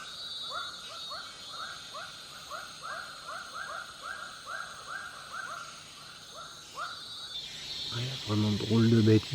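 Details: In Borneo, frogs and toads give rapid, repeated arched croaks over a steady high drone of cicadas in the trees, with a voice at the end.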